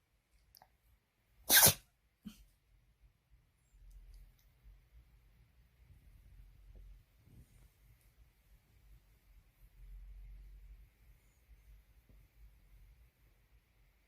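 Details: Dog sneezing indoors: one sharp, explosive sneeze burst early on followed by a small second snort, then only soft snuffling and faint low room noise for the rest.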